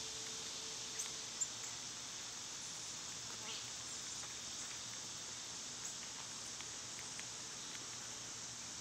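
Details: Cicadas in summer, when they are loud this time of year: a steady, unbroken high-pitched hiss-like drone fills the whole recording, with faint scattered ticks and a soft low hum underneath.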